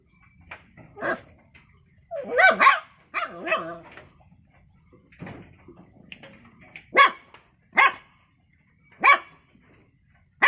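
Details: Puppy voice: a few soft yips, then a pair of wavering whimpering barks, followed by sharp single yaps spaced about a second apart, over a faint constant high-pitched hum.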